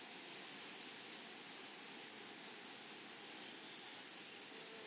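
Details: Grasshoppers in a flowery meadow or prairie: a steady, high-pitched, narrow-toned chirp pulsing in quick, even beats, with a fainter higher overtone and no other clear sounds.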